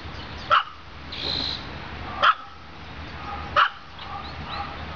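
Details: A pet dog named Olive, a female, barks sharply three times about every one and a half seconds, with a faint higher tone and steady background hum between barks.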